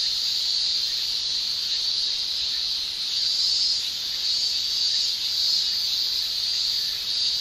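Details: Male Japanese cicadas in summer, Japan, producing a steady high shrill buzzing drone from their tymbals, continuous without breaks and swelling slightly in loudness.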